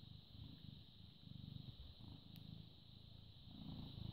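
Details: Low, rhythmic purring from a British Shorthair cat, born 18 August 2010 and recorded on 14 May 2017 at 09:16. Breathing phases swell and fade about every second over a steady high-pitched hum.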